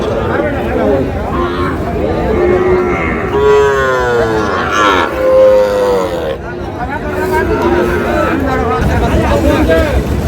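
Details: At a Chandpur cattle market selling Sahiwal bull calves, 15 May, a couple of wavering, rising-and-falling moos sound between three and six seconds, mixed with loud talking and crowd noise.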